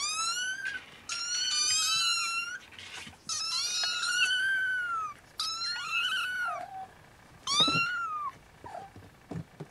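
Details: Siamese kittens napping beside their mother Siamese cat, some unable to sleep and waking their siblings; high, clear mews rise then fall, several overlapping, in bursts of one to two seconds separated by short quiet gaps.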